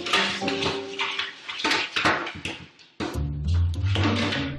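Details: Music with clattering, percussive household sounds in a small room; no animal voice stands out.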